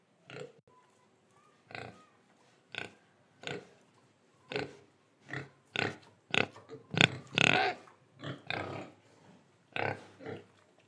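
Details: Pig in Indonesia giving a series of separate short oinking grunts, roughly one every second, some louder and harsher toward the middle, with quiet pauses between calls.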